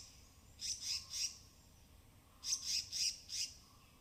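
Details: In the dense evergreen canopy of the Western Ghats at Tamhini, forest squirrels foraging on wet branches give high, hissing chatter bursts in two quick clusters of three and four notes, separated by a short pause, over faint forest hum.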